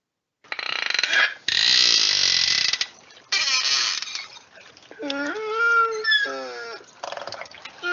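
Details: Original recording of a beluga whale: bursts of dense buzzy clicks and broadband pulses, then rising and falling whistled tones with harmonics, some bent sharply upward, around the fifth to sixth second.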